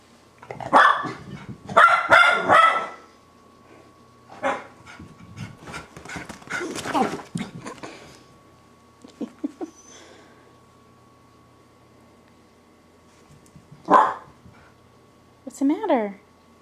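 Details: Pair of Miniature Schnauzers overjoyed at their owners' return: short yips, whines and scuffling in bursts, then sparse cries and a final rising yelp, with a steady indoor hum beneath and a person talking.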